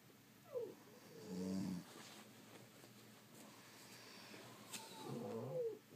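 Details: Two snoring breaths from sleeping French Bulldogs, a low rumbling snort followed later by a raspy, whistly exhale, with quiet between.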